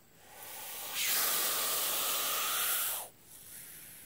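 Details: Hognose snake, nicknamed the Missouri cobra, harmless but imitating a cobra: one steady, breathy hiss of about two seconds that swells in and stops sharply, with a faint exhale afterward.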